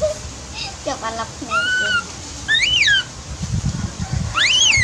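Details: A baby monkey called Dewdew cries out for its mother, who is busy at work. Several separate cries, long level wails and sharp rise-and-fall squeals, with low rumbling noise between them.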